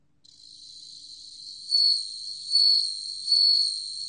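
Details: A bell cricket's song in a 2020 National Institute of Biological Resources recording: a soft continuous high tone builds, then three brighter bell-like pulses ring out at steady intervals just under a second.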